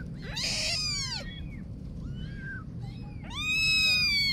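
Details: Two loud, shrill kitten meows bracket a softer, quieter cry between them, each bending up and then down in pitch over low room noise.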